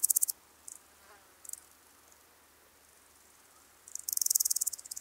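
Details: Woodland grasshopper, Omocestus rufipes, at Gaisberg, Austria, on 15 September 2023, picked up with a Pettersson D 100 ultrasound detector: a few short high rasping bursts, then a longer buzzy run of rapid ticks at the end.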